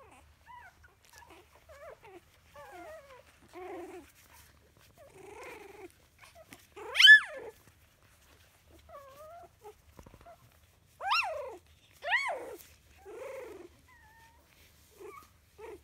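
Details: A 3-week-old King Charles Spaniel (English Toy Spaniel) puppy gives a string of thin, arching whines and a few sharp, higher yelps, seemingly testing his commanding skills.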